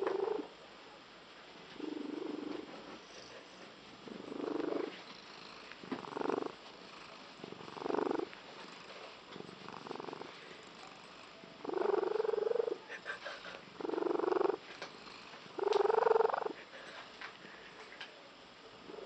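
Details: Female domestic cat with an unusual purr that her owners liken to a tree frog: pulsed, rasping bursts about a second long, repeated every one to two seconds with quiet gaps, growing more intense toward the end.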